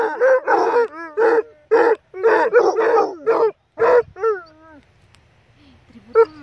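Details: Two reunited Basset Hounds, a few days after their mother died (owner thinks they knew), give loud, throaty bays in rapid, harmonic-rich bursts, sliding into wavering, downward-bending howls before a final short bark.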